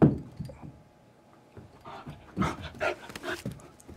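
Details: Lexi, a golden retriever puppy about four and a half months old, recorded on a Canon Vixia HG21. A soft whimper opens the clip, then a quiet stretch, then a cluster of louder broad yelping bursts near the end.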